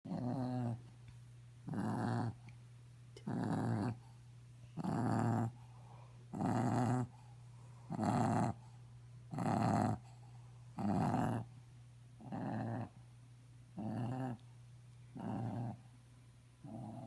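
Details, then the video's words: Mushu, a pet dog, snoring and snorting indoors: roughly a dozen harsh, rasping breath bursts, evenly spaced about every one and a half seconds, over a steady low background hum. "Snoring Mushu"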